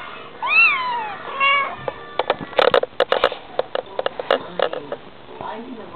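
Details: A Bengal cat mother and kitten in conversation: a clear arched meow and a short chirp open the clip, followed by a stretch of tapping and clicking noises and a faint final call.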